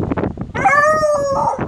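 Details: American Foxhound dog howling: after a short burst of rough, broken noises, a loud sustained tonal howl holds level for about a second, then dips and fades.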